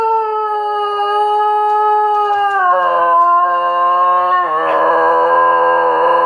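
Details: Basenji dog singing: a sustained, steady, tonal howl that holds a high pitch, then drops to a lower note, then drops again, continuing without break for about six seconds.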